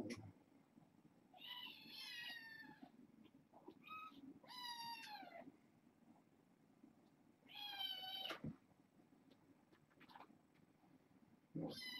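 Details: Litter of six kittens born August 29th to a family pet, four female and two male, indoors at bedtime: several high, harmonic meows, some falling in pitch, repeated across the stretch over a low steady hum.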